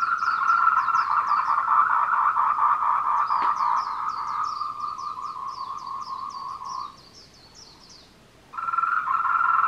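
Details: Courting tree frogs on the Meiling Wulong trail in Nanxi, Tainan, Taiwan, 14:00 on 26 April 2018, Canon PowerShot SX720HS: a loud, fast rattling chorus that fades to a pause near the end, then resumes, with higher repeated chirps overhead.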